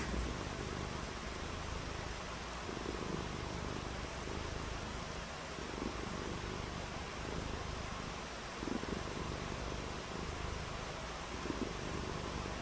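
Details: Cat purring on a rainy day, with cats shown playing in the rain; a soft, low, steady rumble sits under a constant broadband hiss, with faint pulsed patches at intervals.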